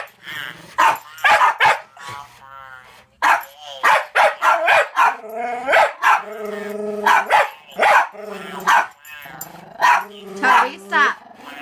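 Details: Annoyed by a talking Furby toy, a one-year-old Jack Russell Terrier called Toby lets out strings of sharp barks with some growly edges. The Furby's tonal electronic chatter repeatedly cuts in between the barks.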